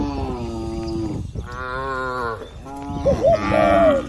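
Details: Tame cattle being herded while grazing in a wide, green oil palm plantation in the countryside. Several long, drawn-out, harmonic moos follow one another; the last ones turn wavering and higher-pitched, with faint rustling in the background.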